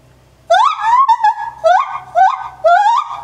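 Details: A 9-year-old male white-handed gibbon at Maruyama Zoo, recorded 27 January 2014, gives loud, hooting whoops that swoop upward in pitch, repeated in quick succession.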